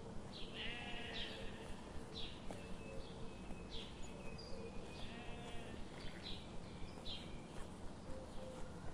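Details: Sheep grazing in a forest under morning sun; several quavering, high bleats come and go at a distance over a steady low rumble, with faint regular ticking throughout.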